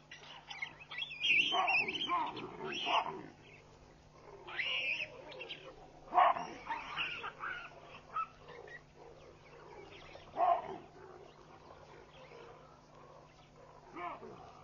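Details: Baboons racing away and scattering in alarm on a Sunday morning at Pete's Pond, Mashatu Game Reserve, Botswana, 16 June 2013; harsh, barking alarm bursts ring out in irregular volleys every one to three seconds, with quieter gaps between.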